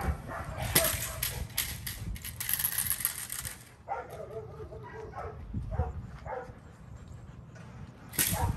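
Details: Kolohe, a challenging male Rottweiler starting protection training with bite work, barks in a rapid run over the first three seconds, then quieter tonal sounds and voices follow before one more loud bark at the end.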